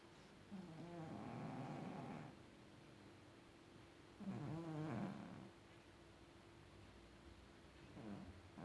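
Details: Domestic cat snoring like an adult: three rough, low, rasping breaths spaced about four seconds apart, each lasting one to two seconds, in an otherwise quiet indoor setting.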